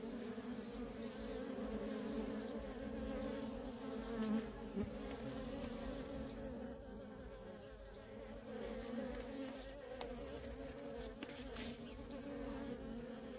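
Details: Worker bees streaming in and out of a feral honey bee colony, the hive's steady humming drone holding evenly throughout, overlaid with occasional close passing buzzes.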